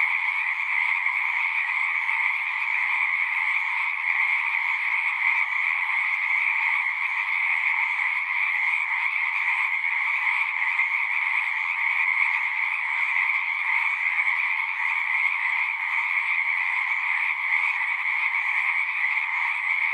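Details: Frog chorus in nature, a thick continuous wall of trills layered at two steady pitches, unchanging in loudness from start to end, with nothing else heard.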